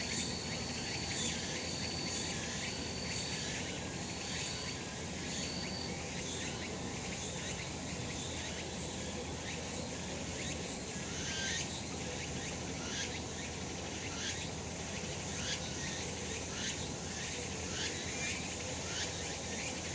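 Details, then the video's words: Summer mountain cicadas in full sun, a loud continuous pulsing buzz with regular rasping beats, a brief high steady whine near the start, and low environmental hum across the whole recording. "セミの鳴き声 夏の山 日なた"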